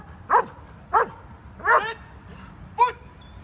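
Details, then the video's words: Stryder, a German Shepherd, gives four loud, harsh barks during IPO1 protection work at a trial, one longer and rougher, evenly spaced with steady background hum between them. "German Shepherd protection work"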